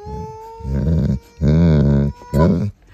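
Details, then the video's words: Pet dog Mr. Beowulf, a visiting grand fur baby known as a talker, gives three drawn-out growly, moaning vocal bursts with deep rough harmonics and a wavering pitch, separated by short pauses, after a faint thin whine. "Talking Wolf"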